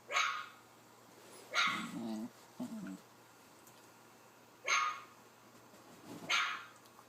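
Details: Dog barking while watching a puppy on an iPad screen; four sharp barks, with two lower, shorter woofs between the first pair, in a quiet room.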